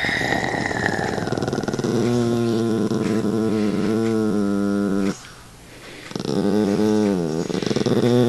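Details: Ambrose, a pet dog, growls during rough play indoors with a person teasing him; long, throaty growls with stacked harmonics rise and bend, broken by a short pause before growling resumes.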